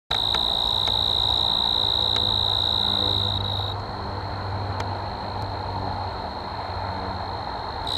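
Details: Male tree crickets in Caledon, Ontario sing one shrill, even, pure-toned high trill without a break to attract mates, over a soft low rumble like distant traffic.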